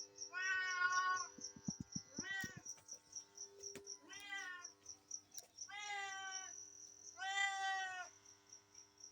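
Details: Cats and kittens heard in a row of five drawn-out, nasal meows about every one and a half seconds, over a constant shrill pulsing tone and a brief low rattling noise.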